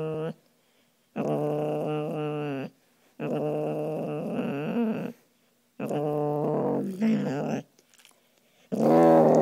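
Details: A five-year-old male soft coated wheaten terrier growls at his owner indoors, and he wags when the owner walks away. Three long, steady, moaning growls run about two seconds each with short pauses, and a fourth starts at the end.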